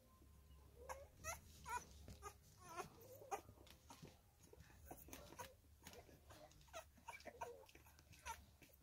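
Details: Female Staffordshire Bull Terrier puppy, three weeks old, whimpering and squeaking in short high cries scattered through the recording, with faint rustling and handling noises between calls.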